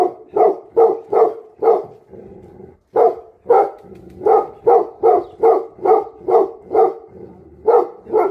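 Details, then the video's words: Angry Tibetan Mastiffs give loud, gruff barks at an uneven pace of roughly two per second. Low rumbling fills the short gaps between bursts. "Angry dogs barking effect sound ||Tibetan Mastiff || Bhote Kukur"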